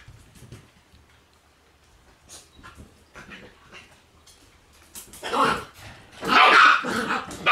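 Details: Female black Shiba Inu puppy, born on 6 August, gives a few sharp, harsh bursts of barking in the last few seconds after a long quiet stretch with faint soft sounds.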